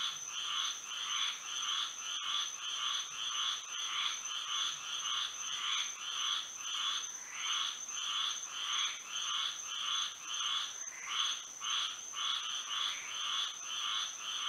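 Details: Frog chorus on a moonlit Florida night: many overlapping callers give buzzy, pulsed croaks that follow one another almost without pause, over a constant shrill ringing tone. A few faint clicks break in.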